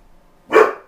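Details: A dog named Ronin, said to almost never bark, gives one short loud bark indoors, a broad burst that swells and fades within a fraction of a second against a quiet room with a faint steady hum.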